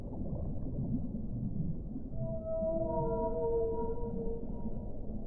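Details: Whale song emerging from murky underwater rumble: after two quiet seconds, several overlapping long tonal notes at different pitches hold steadily and then fade.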